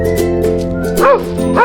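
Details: Dog barking over steady background music: two short, arched barks near the end, the second close behind the first, with a soft tonal hum underneath.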